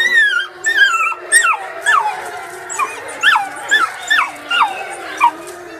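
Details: Wolf pups calling together: overlapping high, downward-slurred yips and whines repeat rapidly, every half second or so, with a faint howl underneath.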